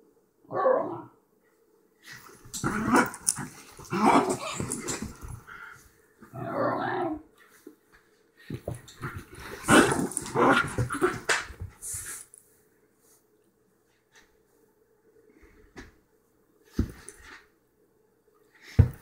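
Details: Excited Basenji dog giving clustered bursts of strained, growly, yodel-like vocalizing, each lasting one to three seconds with short pauses between. A steady low hum runs underneath, and two sharp knocks sound near the end.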